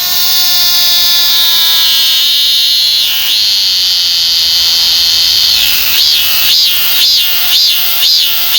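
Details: Korean cicada, one of the most common cicadas in Korea: a dense, steady high buzzing drone that shifts into rhythmic pulsing swells about twice per second near the end. The shrill tone fills the upper register throughout.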